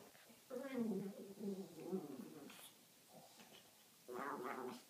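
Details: Two Pekingese dogs playing together indoors, trading low harmonic growling grumbles in a long rolling burst over the first two seconds, a quiet pause, then a louder, brighter growl near the end.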